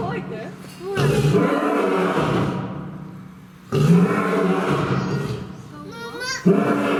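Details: At Fukuoka City Zoo, the male lion Chachamaru gives two deep, grunting roars about three seconds apart, low and resonant, while a crowd of visitors including children talks loudly throughout.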